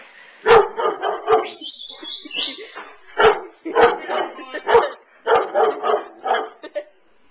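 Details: Domestic dog barking at a stuffed giraffe toy, giving a rapid series of about ten sharp, forceful barks in uneven clusters, with a brief high squeak early on.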